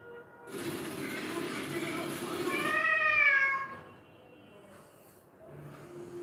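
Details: A rescued, once-abandoned domestic cat gives one drawn-out meow that rises slightly and then falls, after several seconds of broad hissy background noise; faint room sounds follow.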